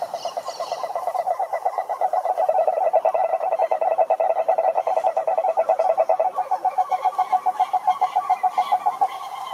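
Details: Chorus of cane toads from a lake in Brazil's Atlantic Forest: overlapping fast pulsed trills swell in the middle, forming a dense throbbing drone with faint higher pulses layered on top.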